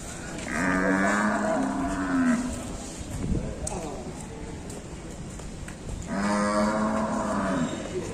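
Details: A raging Indonesian cow gives two long, loud moos separated by a pause of several seconds, with thumps and scuffling between them as the cattle run loose and a man calls out a warning.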